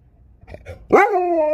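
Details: Alaskan Malamute at home answering its owner's talk: soft low grumbles lead into a loud, rising then steady, richly harmonic howl-like 'talking' note that carries to the end.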